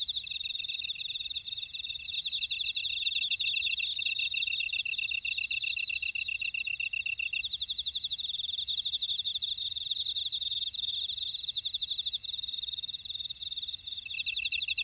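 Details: Insects in a buckwheat field at Ora-dong on Jeju Island, South Korea, keep up a bright, unbroken high chorus; a lower rapid trill runs for half the clip, pauses, then returns near the end.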